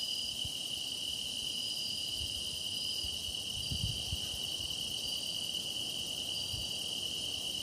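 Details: Chorus of grass insects singing, recorded as a meditation soundscape: an unbroken, even, high-pitched ringing trill with faint intermittent higher chirps above it and occasional soft low rumbles.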